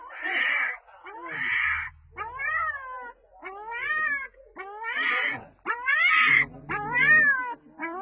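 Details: Small female puppy calling for her mother with drawn-out, arching whines, some rising then falling, others harsher and breathy, in bursts of about one second, separated by brief pauses and soft low rumbles.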